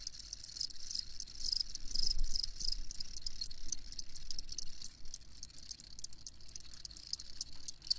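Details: Crickets chirping in steady, rapid high-pitched pulses, a dense shimmering chorus with a soft low rumble of background noise underneath.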